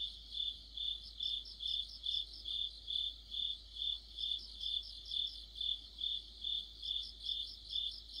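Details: Deep-autumn cricket chorus: rhythmic bright chirps roughly every half second, steady throughout, joined at the start and end by a higher, wavering trill from another insect.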